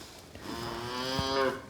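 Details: Large newborn bull calf, likely over 40 kg, on a Finnish suckler-cow farm during spring calving, trying to stand for the first time before its mother has licked it; one harmonic, slightly rising bawl lasting about a second indoors.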